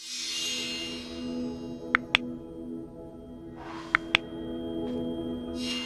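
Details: Sustained music tones with sharp clicks and bursts of rubbing noise, without any buzzing or other animal sounds.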